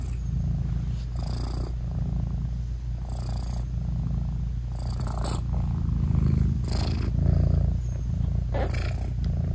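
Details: British Shorthair mother cat purring steadily while nursing her newborn kittens, whose eyes are still closed; a deep continuous rumble with several short broadband rustling bursts, no music.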